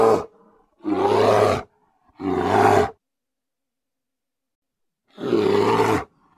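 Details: Loud grizzly bear roars: three long, harsh, rasping bursts, each about a second, separated by dead silence.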